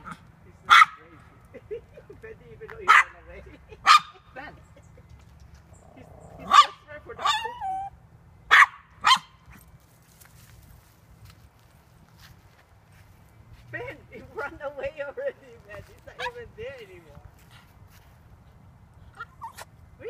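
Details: Male toy poodle chasing a squirrel in a park gives short sharp barks spaced a second or two apart, then high whining yelps toward the end, with a person's voice in between.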